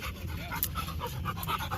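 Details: A Labrador Retriever pants steadily while playing outdoors, breathy rhythmic puffs running through the clip, with people shouting and calling in Telugu nearby.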